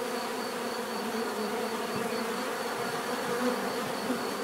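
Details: Steady natural buzzing of many bees, a dense hum with small flickers of individual bees passing closer around three and a half and four seconds.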